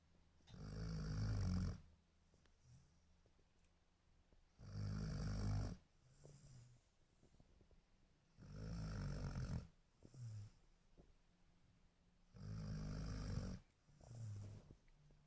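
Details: A sleeping dog snores in slow, regular low rumbles, each breath lasting about a second and recurring roughly every four seconds, with quiet pauses between the snores.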